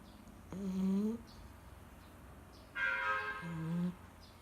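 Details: Labrador Retriever named 朵儿 asleep on its owner's lap, giving two drawn-out snores, each about a second long, with a tonal, slightly whistling edge over a low hiss.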